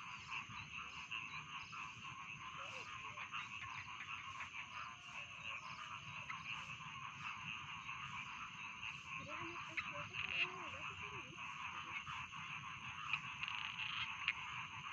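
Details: Rice field frogs in a full croaking chorus for sleep: a continuous rattling buzz of overlapping calls, with a few louder croaks near the end and a brief faint lower sound around the middle.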